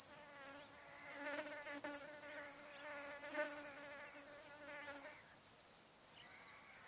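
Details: Crickets chirping on a still summer afternoon at sunset beside the Barcoo River, Welford National Park, Outback Queensland, Australia: a loud, high, steady trill broken into pulses about twice per second, with faint bird calls and lower tonal harmonics in the background.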